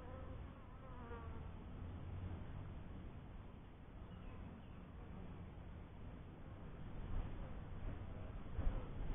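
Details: Colony of honey bees at a newly kept first hive: a continuous deep droning buzz, fairly even in level, with brief faint higher tones near the start and a louder surge toward the end.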